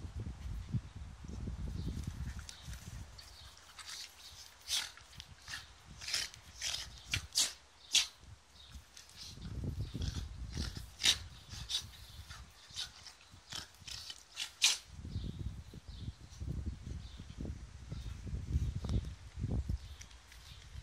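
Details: Two Jack Russell Terriers, Charlie and Milo, playing together in a garden: low rumbling growls come in three bouts, at the start, middle and end, with sharp high ticks and faint chirps scattered between them.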